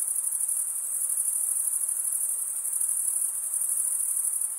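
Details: Male crickets stridulating, rubbing one wing's toothed vein against the other: a dense, continuous high-pitched trill of many overlapping chirps, steady in loudness throughout, with no other sounds.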